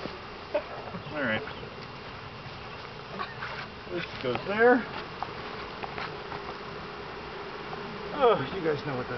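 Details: Continuous humming drone from three pounds of honey bees being dumped into a new hive, with brief rising and falling vocal sounds from onlookers twice and scattered knocks.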